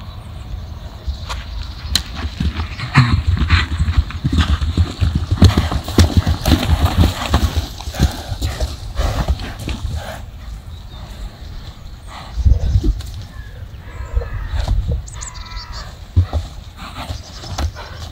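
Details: Horse rolling, bucking and rearing, with low rumbling grunts and heavy thuds mixed with irregular hoof impacts on the ground, and faint voices in the background.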